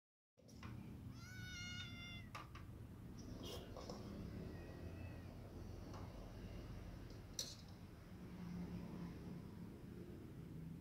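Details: ['Two kittens, one white and one black, compete while eating. A short, high-pitched mew is heard early, with faint further mews later. Steady low rumbling and clicking eating noises run throughout.']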